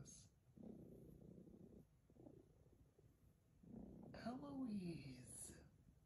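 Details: A cat reacting to a kiss: a soft, low, rumbling purr-like murmur, then a short rising-and-falling meow-like call with bright overtones. A person's voice and music can also be heard.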